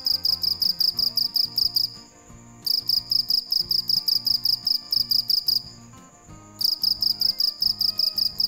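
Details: High, rapid chirping of a cricket at night, in three bursts of evenly spaced shrill pulses separated by short quiet gaps, with soft music beneath.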